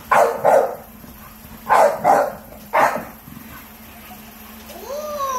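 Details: An American Bully named Spike barking at his bowl, giving loud, rough barks in quick pairs, then a single bark, followed by a short whine-like sound.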